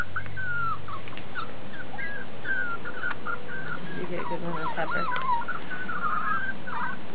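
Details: Piebald Miniature Dachshund puppies with ticking, about five weeks old, whimper in a series of thin, wavering high squeals and whines, some rising then falling, with faint music and a woman's voice nearby.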